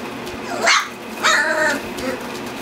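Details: Standard Poodle puppies, a litter of eight black four-week-olds, four males and four females, at play indoors: a short high yelp, then a longer wavering squeal with clear overtones, over steady room hum.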